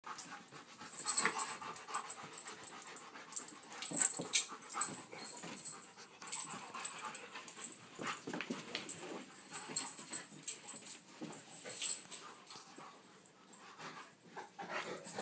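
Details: Tamaskan Dog at play, giving faint breathy huffs, snorts and panting in scattered short bursts, with soft scuffling between them and no clear barks.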